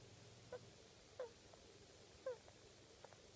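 A rabbit gives short, soft squeaks that slide downward, a few seconds apart.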